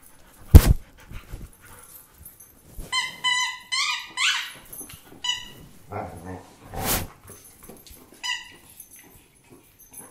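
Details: German Shepherd dog indoors giving a run of high, wavering whines and squeaky yelps in short bursts, with a rising whine near the end. Loud thumps and knocks are heard between them.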